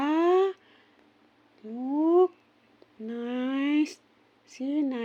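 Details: Sleepy kitten meowing four times, each short cry sliding upward in pitch, spaced about a second apart, with a faint murmur of human voice behind.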